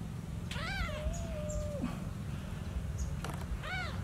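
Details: Newborn kitten calling for its lost mother: one drawn-out meow that starts arched and then holds a long level tone, a short pause with faint clicks, then a second shorter arched meow, over a steady low hum.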